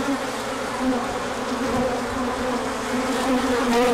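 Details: Many bees on a large orientation flight, 24 March 2024, emerging when the sun came out after colder weather; a steady overlapping hum with a low wavering tone and a higher harmonic, swelling slightly toward the end.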